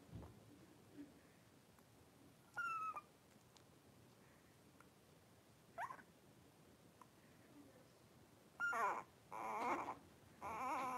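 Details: Litter of five blenheim Cavalier King Charles Spaniel puppies, three weeks old, playing and wrestling indoors in a home puppy pen; isolated thin yelps early on, then a run of three louder, wavering squealing cries near the end.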